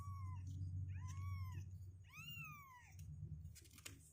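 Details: Two-week-old kittens, growing stronger and unwilling to stay in their box, mewing three times in thin arched cries, each rising then falling, with a steady low hum underneath.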